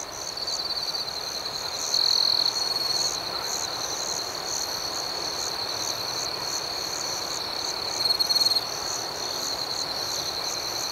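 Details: Crickets at night keep up an even, high-pitched buzzing trill, with two brief louder pulsed chirps, one around two seconds and one near eight seconds.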